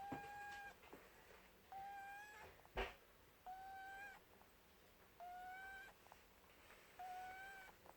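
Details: Sleeping pet rabbit Buttons snoring, making nasal whistles that hold a steady pitch then tilt upward, each lasting under a second and coming at a slow breathing rhythm about every second and a half, with a brief click between breaths.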